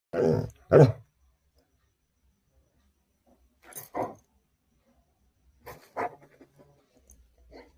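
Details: Labrador Retriever named Coco, about to be taken for a scooter ride, gives short, gruff barks in three separate bursts, a pair at the start, then single and double barks, with quiet pauses between.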